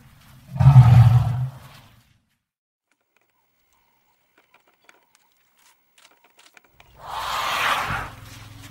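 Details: Elephant producing a deep, loud rumbling roar lasting over a second, then near silence, then a rougher, higher trumpeting blast.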